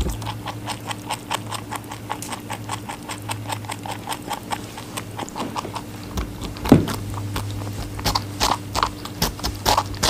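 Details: A rabbit feeds on watermelon, with fast, fine chewing clicks that build into louder crisp bites near the end, and an electrical hum running throughout.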